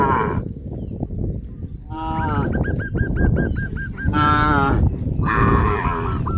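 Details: A herd of cows on a traditional village farm heading towards green grass fields: a drawn-out harmonic moo rises midway, amid bursts of rapid, repeated, hooked honking calls from other animals.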